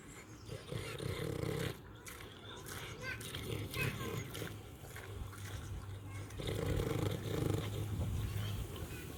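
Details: Farm pig eating and snoring, making low rough rattling grunts in two long bursts at the start and near the end. Softer rustling and faint higher squeaky notes fill the stretch between them.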